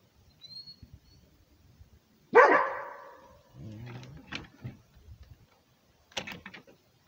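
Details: Rhodesian Ridgeback barking to guard its territory: a single sharp, loud bark that decays quickly, followed by quieter scuffling and clattering sounds.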